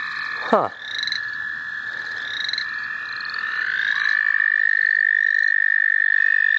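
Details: Frogs calling at night in the St. Olaf College Natural Lands: a steady, high, unbroken trilling chorus that swells slowly, with a sharp knock near the start and faint higher chirps above.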